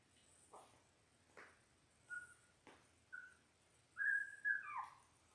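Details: Ten-day-old Labrador Retriever puppies from a litter of six born January 18, 2022, on a live puppy cam: a few short, thin, whistled squeaks, then a longer wavering whine that bends downward at the end, with soft clicks between.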